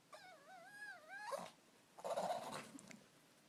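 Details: Nicodemus, a dog that snorts, sneezes and burps when excited; a high wavering whine slides up and down for over a second, then a rough breathy snorting burst.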